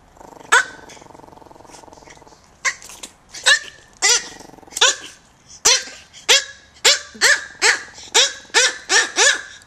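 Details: Micro teacup poodles, two tiny dogs from an American bloodline now living in Hong Kong, barking indoors: sharp, high yaps that come slowly at first, then quicken into a steady run of rapid barks.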